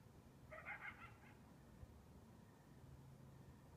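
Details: At 2 AM on a balmy, windless summer night, a lone coyote gives a brief, wavering, high-pitched yelp over the low rumble of a distant freight train.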